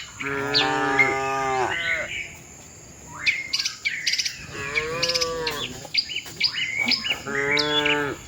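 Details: Tame cows travelling with their herd to the shed give three long, wavering moos, the first and last strongest, with chirping birds in the gaps and a thin constant insect whine.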